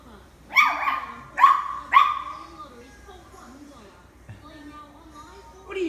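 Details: A female Italian greyhound finds her voice in the morning with three short, high, ringing yips in a quick burst that trail off, followed by a person quietly speaking to her.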